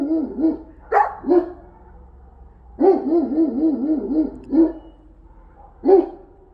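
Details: Central Asian Shepherd dogs enjoying snow in Illinois, deep wavering bark-howls in short bursts, one drawn-out undulating run of about six pulses near the middle, quiet between calls.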